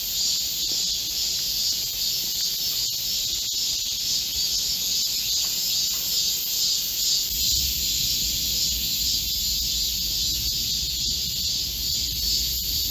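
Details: Continuous high, sizzling chorus of Korean cicadas in a green midsummer forest on a hot July day in 2024; a low rumble joins underneath during the second half.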